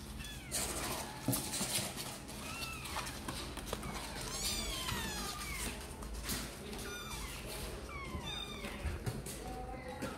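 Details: Sor and Kapov kittens wanting to come out and play, calling in a run of high, thin meows, several overlapping and sliding downward, repeated across the stretch, with faint background voices and low hum.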